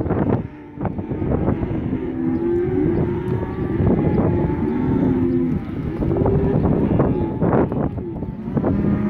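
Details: Pen of 67 black Angus male calves, 180–190 kg each, bellowing in a dense overlapping chorus of rising and falling moos, some long and wavering, with intermittent knocks and clatter.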